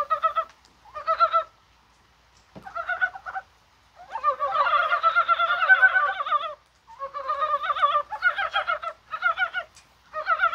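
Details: Korean brown frogs croaking in January rain on a mild, spring-like day: a near-continuous run of overlapping, chuckling pulsed croaks, densest in a long two-second stretch midway, with brief pauses between groups.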